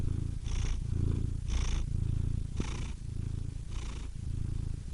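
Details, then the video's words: Purring domestic cat with a clear two-part rhythm: a rough low drone alternating with short breathy inhalations about once per second, steady and calm throughout. "Cats Purring Soothing Sound Effects (Relaxing Cat Sounds)"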